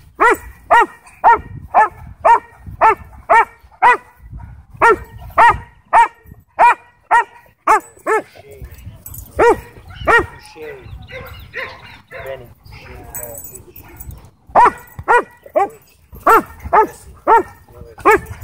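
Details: Sheriff's K-9 Belgian Malinois at a dog park in a Texas county, trying to attack a person; sharp, loud barks fired in quick runs of about two per second, broken by a stretch of human voices midway before the barking resumes.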